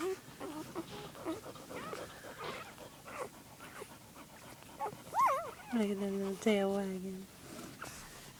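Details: Mother dog with her pups, January 2, 2011: thin whines rise and fall, then turn into longer level whining near the end, while a woman speaks gently to the dog throughout.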